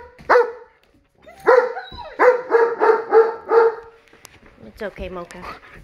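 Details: German Shepherd answering tornado sirens with a sharp yelp, then a run of rhythmic, pulsed howling barks, followed by softer human voices near the end.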